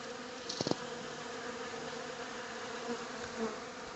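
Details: Droning hum of honey bees that unexpectedly settled into a workshop, a steady buzz rising and falling gently in loudness. Early on there are several short knocking clicks, and soft swells follow later.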